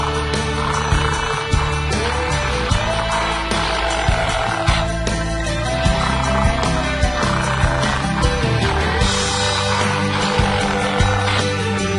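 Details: Steady instrumental music with a deep pulsing bass and a dense mix of tones, playing throughout with no animal voice.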